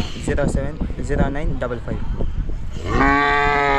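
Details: Hallikar stud bull at Dasarapalya: men talk in Kannada for nearly three seconds, then a loud, steady, harmonic moo begins and holds through the final second.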